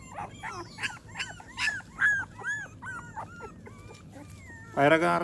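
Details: American Pit Bull Terrier puppies during a morning routine after feeding, giving a run of high, arched whimpering yelps repeated about twice a second, with a louder burst of human voice at the end.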